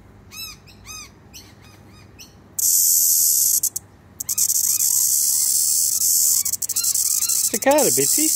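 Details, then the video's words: Cicada singing, a loud, steady high-pitched buzzing hiss that starts abruptly and runs unbroken for over five seconds, with repeated short arched bird notes beneath it and a rising, sweeping call near the end. "Cicada singing for Daddy"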